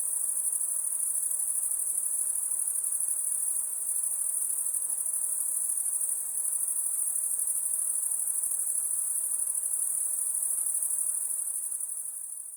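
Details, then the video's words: Crickets calling at night as a steady, piercing chorus of rapid chirps blending into one ringing high tone, unchanging for most of the stretch before fading slightly at the end. "Crickets (Night)"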